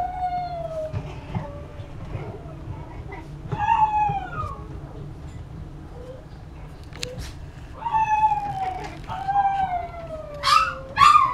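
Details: Young Chihuahua whimpering: thin tonal cries gliding from high to lower pitch, coming in clusters with pauses, a few sharper yelps near the end, and low room noise throughout.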